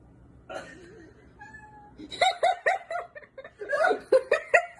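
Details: A domestic cat lets out a quick run of short, bright meows, about eight clipped calls crowded into the last three seconds, after a softer, wavering tone and a brief steady whine at the start.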